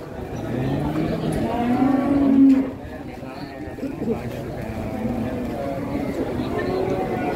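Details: A very large, expensive head of cattle, brought in one morning while buyers and butchers negotiate over it. A low, drawn-out moo swells over the first two and a half seconds, and men talk in Indonesian throughout.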